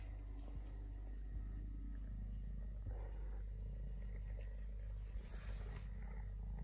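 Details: Steady low rumbling purr from Totoshka, a three-legged stray male kitten who lost a leg at birth, continuous throughout with faint soft rustling and light handling noises above.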